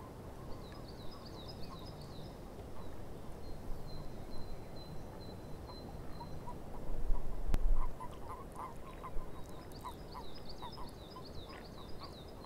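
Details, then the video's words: Frogs calling in a swamp, short mid-pitched croaks scattered through the recording, with high trilling birdsong above, a steady low rumble underneath and a louder noisy burst midway. "Frogs In The Swamp"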